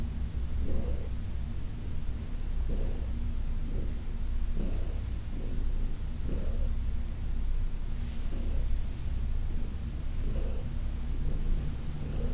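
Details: Deep, unbroken purr from Heidi, an elderly adopted cat, while being massaged indoors on August 4, 2021; the low throbbing hum swells with each breath roughly every two seconds, with faint rustling in a quiet room.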